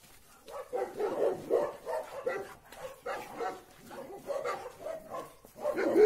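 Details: Labrador Retriever brothers Oscar and Graf, bought from the same people but raised in different families, reunited after about two or three months and playing. Gruff barks and growls come in rapid bursts, roughly a dozen over six seconds.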